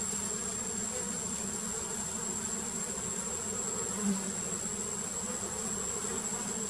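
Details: Giant honey bees (Apis dorsata), wild, during queen painting, give a constant massed buzz, deep and even, with one brief louder buzzing swell near the middle and a steady high whine overhead.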